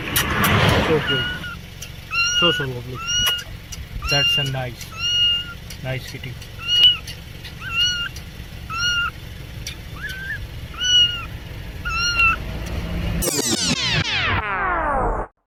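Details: Domestic cats meowing in different situations: a series of short tonal meows, some slightly rising, repeated about once a second over a steady background hum, ending in a brighter harmonic sound.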